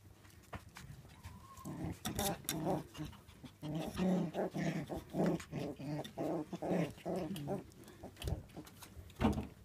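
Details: Shiba Inu puppies born 8 May 2016 at a breeding kennel, making a run of short grunting, whining yelps, repeated roughly every half second, with panting breaths, a brief high whine near the start, and scattered clicks and knocks.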